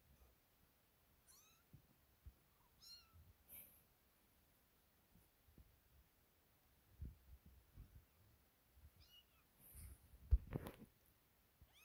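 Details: Young kittens, newly awake and playing beside cat Sofia, give faint rising-falling meows spread across the stretch, several near the start and a pair later, mixed with scuffling, bumping and handling noise.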